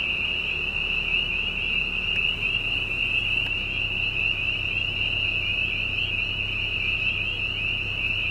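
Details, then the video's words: Spring peepers calling at night on a dairy farm in Silver Lake Township, Susquehanna County, Pennsylvania, next to a gas-well drill rig with cows nearby. A dense, unbroken high-pitched chorus of peeps rides over the steady low rumble of the rig. "Sound of Peepers"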